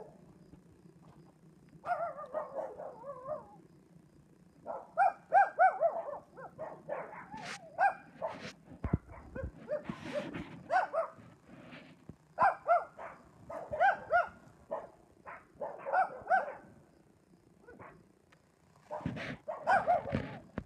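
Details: Wheaten terrier herding highland cows outdoors, giving bursts of sharp, fast barks, several per second, with short pauses between volleys and a few higher yipping notes, over a faint background hum.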